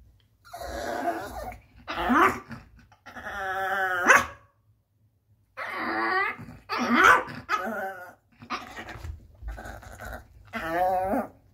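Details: {'caption': 'Yogi, a Yorkshire Terrier, nervous and unable to get onto the bed, gives drawn-out whiny growls and grumbling vocalisations in bursts of one to two seconds, separated by short silences, indoors.'}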